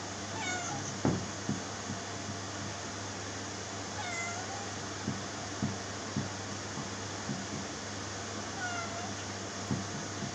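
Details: Domestic cat meowing indoors: three short, slightly falling meows roughly four seconds apart, set against a constant low electrical hum and a few soft taps and knocks.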